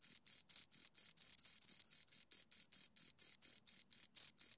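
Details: Two crickets heard right up close, their shrill chirps coming about four per second, some pulses slightly longer and blurred together in the middle before settling back to a crisp, even beat.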